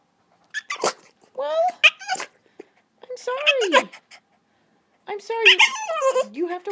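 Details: A male Boston Terrier whines and grumbles in bursts of rising and falling yowls, begging for a yoga ball his owner sits on.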